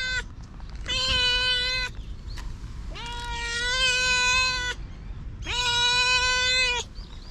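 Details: Outdoor stray cat giving three drawn-out, wavering meows of about a second and a half each, spaced roughly two seconds apart, over steady low environmental noise.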